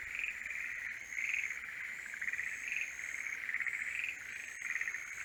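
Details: A chorus of forest green tree frogs calls in the breeding season, rapid clucking pulses overlapping in a steady trilling wash.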